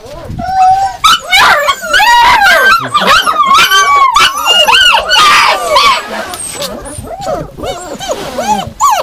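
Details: Yakutian Laika vocalising in a continuous stream of high, bending whines and yelps, the cries sweeping up and down and crowding together throughout.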